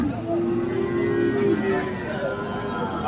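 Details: Friesian and crossbred bull calves at the Aftabganj cattle market in Dinajpur on 10 December; one steady, droning low moo holds for about a second and a half over a murmur of market chatter and background noise.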